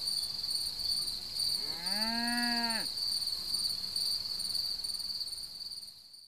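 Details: A cricket's continuous shrill trill runs the whole way through, while a cow's drawn-out moo rises and falls for about a second and a half early on; the trill fades out at the very end.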